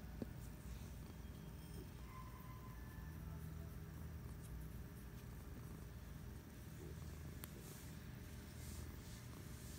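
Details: Patches the cat resting on the couch on a Friday afternoon, giving a soft low purr that runs without a break, partly blended with a faint steady background hum and a few light ticks.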